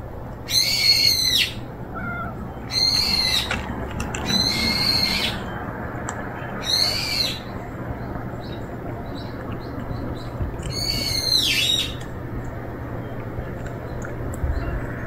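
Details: Stray cat meowing repeatedly: five loud, high, insistent meows, each under a second long, at uneven intervals of about two to four seconds, over a soft low background hum.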